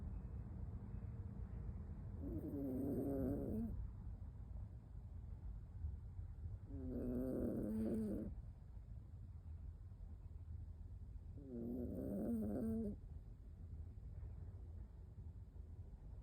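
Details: Napping alone at home, an 18-year-old toy poodle snores in three slow, rasping breaths with a buzzy tonal edge, each about a second and a half long and coming roughly every five seconds, over a soft low hum.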